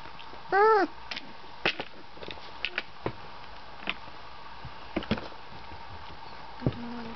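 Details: An 18-day-old Golden Retriever puppy from a litter of eight, with eyes and ears newly open and toddling around, gives a single high, wavering whimper, followed by soft scattered taps and clicks.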